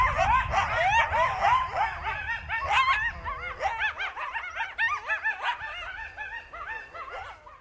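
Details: Several coyotes in Yosemite National Park chorus together in a tangle of wavering howls and high, rapid yips.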